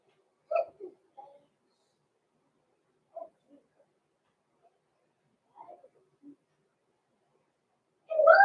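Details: Six-week-old blenheim Cavalier King Charles Spaniel puppies Roman and Blue, born November 14, 2022, in an indoor home puppy pen, give short whimpering yelps in scattered bursts with quiet gaps, ending in a louder, longer cry.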